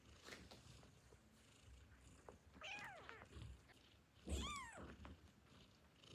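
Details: Hungry newborn kittens give high, thin meows that rise and fall, calling for their mother before nursing, over soft background rumbling.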